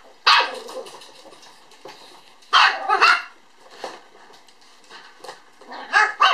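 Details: Female apricot puppy born on 17 April, recorded 11 December 2012, giving sharp high yapping barks in bursts of one to three, with pauses of about two seconds between bursts.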